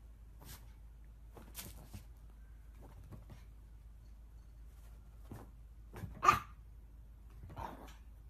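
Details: Chihuahua yapping in scattered, mostly faint bursts, with one louder, sharp bark standing out late in the sequence; otherwise quiet surroundings.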